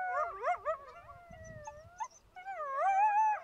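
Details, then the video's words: Wild coyote howling in wavering, sliding tones that rise and fall, broken by brief yipping notes and a soft low rumble in the middle, then a long wobbling howl at the end. "Som de Coiote uivando"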